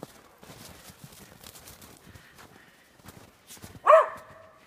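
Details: Dogs playing in the snow: soft crunching footsteps and quiet human chatter, then one sudden loud, ringing bark near the end that trails off quickly.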